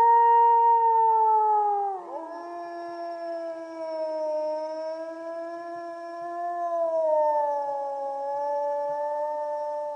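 A wolf howls in a long, smooth, mournful tone that drops slightly and then holds steady. A second, lower howl overlaps it, and the two voices waver together for several seconds.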